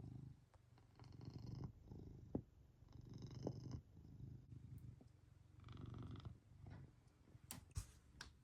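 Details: Purring Maine Coon cat, its peace disturbed by little backyard animals; a low continuous rumble rises and falls with each breath, broken by a few sharp clicks and taps near the end.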